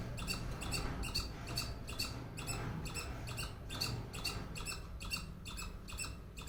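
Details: A squirrel calling with a steady series of sharp, raspy chucks, roughly two per second at an even pace, set against a constant low background hum.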